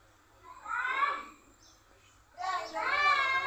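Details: Village house cat mating, giving two drawn-out wailing cries with stacked harmonics, the second longer and louder, separated by a short quiet gap.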